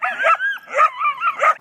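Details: Dog barking in discomfort, high and shrill like a beep: three tonal, whining yelps with wavering pitch, run closely together over under two seconds, with faint connecting whines between them.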